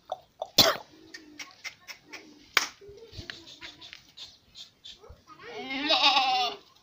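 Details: Goat on a farm in Sindhipura, Pipar City, Jodhpur, Rajasthan, among pink-skinned kids; scattered knocks, a short exchange of voices and a sharp bang come first, then a drawn-out quavering bleat closes the moment.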